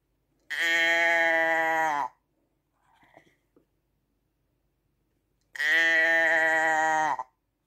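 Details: Two sustained, nasal sheep bleats with a slight waver, about five seconds apart, with a faint rustle and tap in the quiet interval.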